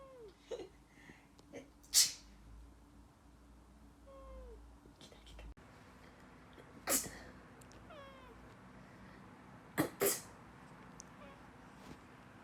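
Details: Male cat Gokki, born 2015 and formerly a street cat, answers a person's sneezes: three loud sneezes, each followed by short, downward-sliding meows, with soft background music and a brief laugh.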